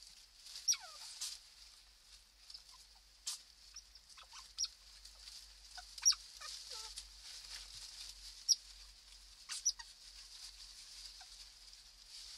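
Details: Young otters in the holt at ZSL London Zoo, born 15 April 2020, caught at night: scattered short high squeaks dropping in pitch, fainter and irregular, roughly two a minute apart in clusters, with constant background hiss.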